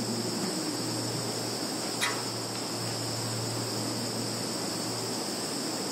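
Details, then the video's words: Field insect chorus from Kaluga region, Russia, recorded 11.09.2019 by phone: unbroken shrill buzzing trill held at two high pitches, with soft background hiss and one short tick about two seconds in. "Sounds of insects in field"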